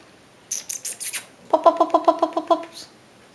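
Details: Shiba Inu puppies six weeks old, called by a person: a run of short, high, squeaky whimpers repeated about four per second, with a faint high chirpy patter before them.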